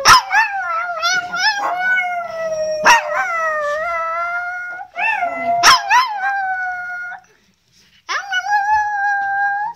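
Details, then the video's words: Chihuahua singing indoors: long wavering howls with rich harmonics, sliding up then holding steady, each lasting one to three seconds, broken by sharp yips and a brief silence before a final rising howl. "Chihuahua qui chante"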